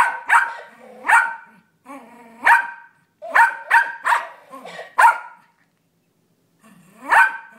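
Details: Six-year-old Yorkshire Terrier named Brownie barking at a toy parrot that repeats his barks, growing frustrated; sharp high barks in irregular bursts, some doubled, with the toy's electronic echoes between them, softer whining sounds in the gaps.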